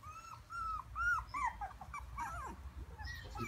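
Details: Young Shiba Inu puppy, aged 5 days to 6 weeks, filmed in 2016, whining in clear, arched, nasal tones repeated several times a second, some bending downward, over a soft low background hum.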